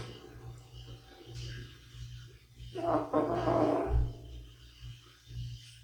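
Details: Older male cat snoring while asleep; a low rumbling drone underlies the clip, swelling into a louder rasping snore around the middle, with a steady low hum throughout.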